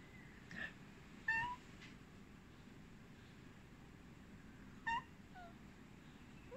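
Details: A big, soft-natured Maine Coon cat chirping and trilling indoors: brief, quiet, rising chirps, with a pair near the start and another a few seconds later, over a faint hiss of room noise.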